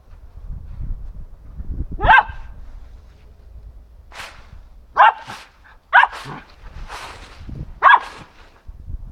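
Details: Samoyed dog playing in autumn leaves, giving short, sharp single barks spaced a second or more apart, four in all, with rustling of leaves and panting-like noises between them.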